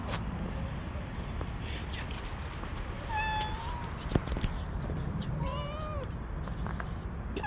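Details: Street cats, several males pursuing a single female; two clear meows, one long and slightly rising, a later one wavering and falling, over constant low-pitched traffic-like rumble with a sharp knock between them.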